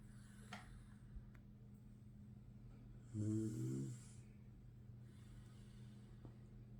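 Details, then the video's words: Tired pug dog fast asleep, letting out one low, rasping snore of about a second midway through, set against a steady low electrical hum and otherwise quiet surroundings. "Мопс устал и похрапывает / Tired Pug is sleping and snoring"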